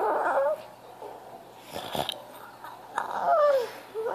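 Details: French Bulldog crying for attention: a brief wavering whine at the start, then a longer clear whine that slides downward, with a short huffing sound and quieter breathy noises between them.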